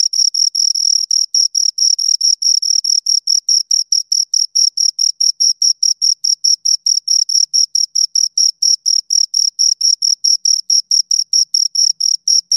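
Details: Continuous high cricket chirping from two insects, a shrill metallic note chopped into fast regular pulses about four per second, sustained without pause over twelve seconds in an otherwise silent setting.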